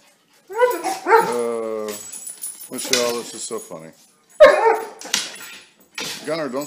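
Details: Dobermann in a funny compilation: short harmonic yelps and barks in bursts around one and four and a half seconds, with whiny rising-falling cries in between, and speech mixed in.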